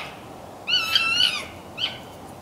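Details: Red fox near Conifer, Colorado, calling in the morning: a wavering, nasal, drawn-out whine lasting almost a second, followed by a brief upward yelp.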